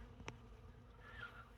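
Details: December open feeding of honey bees on honey and comb from a recent cutout, roughly 150 feet from the hive; low steady buzzing of a crowd of bees with a sharp click and a brief higher whine.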